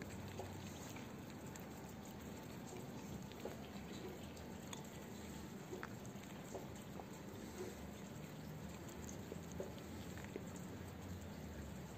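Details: Quiet outdoor background with soft trickling, dripping water and faint scattered clicks, with no animal voice heard.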